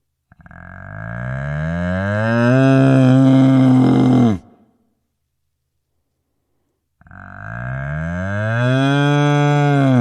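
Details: A cow (Bos taurus) gives two long, deep moos, each rising and swelling before cutting off.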